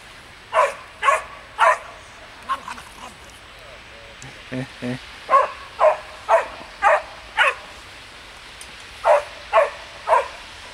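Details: Samoyed puppies named Ettore and Atena playing in the snow; a run of sharp, high yapping barks in quick bursts, some spaced about half a second apart, with a person talking softly between them.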